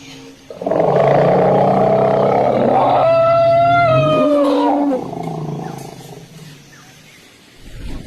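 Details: Elephant at Hojai, Assam: a loud, harmonic roaring call lasts about four seconds, holding steady and then dipping in pitch near the end. It fades into a quieter background.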